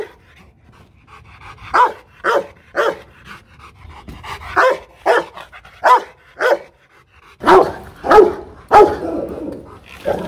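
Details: Aggressive Rottweiler at a kennel in Hoang Mai, Hanoi, Vietnam: after a quiet opening, around a dozen deep barks come in irregular bursts, growing louder and rougher, with overlapping barks near the end.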